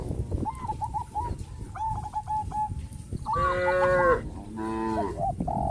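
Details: Traditional village farm cows, a herd heading to green grass fields, give two clear drawn-out moos in the second half, preceded by a quick series of repeated honking notes.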